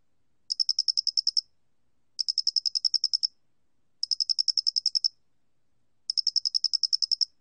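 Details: Loxoblemmus cricket, National Institute of Biological Resources 2020 recording: four bright trilled bursts, each near a second long with ten-odd quick pulses, repeating about every two seconds over a silent background.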